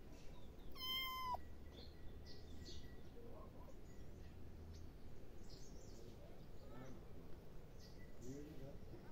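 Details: One brief, bright meow from a pet cat early on, then steady low room hum with soft voices in the background.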